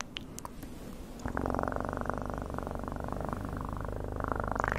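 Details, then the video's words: After a second of faint tapping and rustling, a cat's purr starts abruptly and carries on as a loud, steady vibrating rumble, rising slightly in strength toward the close. "PURRING sounds"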